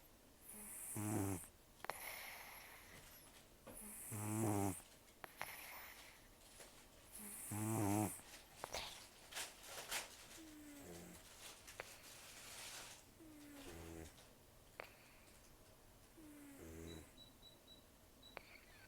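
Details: Rescued elderly cat Taro, with almost no teeth, snores while asleep: a run of loud rattling snorts about every three seconds, then softer, shorter wheezing breaths and faint clicks as the breathing quiets.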